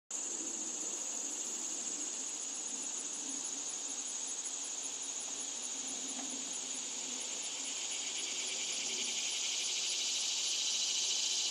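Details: Cicada singing a loud, steady, high-pitched hiss-like buzz that holds without a break for the whole stretch, slightly swelling toward the end, with faint low rustling underneath.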